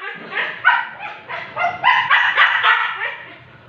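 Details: Siberian Husky at an artificial insemination session. A run of rapid, yodel-like, tonal yips and moans comes several per second, rising and falling in a chattering string.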